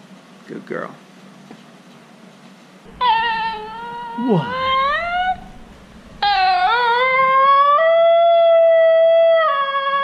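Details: Female Basenji giving its yodel indoors after a brief human voice: a sliding, wavering phrase followed by a long, clear, level tone, rich in overtones, held for about four seconds.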